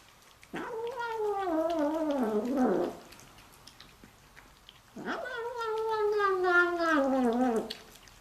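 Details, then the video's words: House cat vocalizing while eating: two drawn-out, wavering yowls, each over two seconds long, warbling up and down in a nasal moan, separated by a pause with faint chewing clicks. "Cat makes hilarious sounds while eating"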